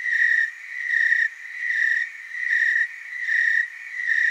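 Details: Chorus of tree crickets from Oregon's Willamette Valley, a continuous shrill trill swelling into louder pulses roughly every 0.8 seconds, callers overlapping so the sound never stops.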